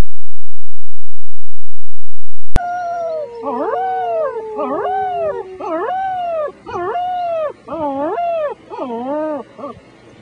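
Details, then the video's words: Six-week-old German Shepherd puppies howl along with a person: wavering, arched howls repeated roughly every second after a brief silence, over one long, steady, sliding tone. "German Shepherd puppies sing the blues"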